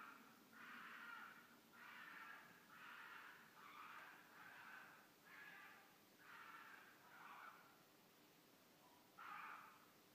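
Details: Red foxes, a wild mated pair, giving mating calls at night in Midhurst, England, among bushes and woods around the village; a series of about nine rasping, screechy cries repeated roughly every second, then a pause before one final cry.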